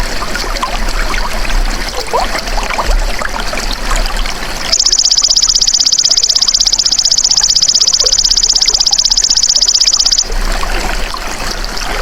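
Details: Golden grasshopper (belalang emas), natural sound used as a training recording for songbirds: after about five seconds of trickling, hissy background a high, dry, rapidly pulsing buzz starts and holds steady for five seconds, then cuts out.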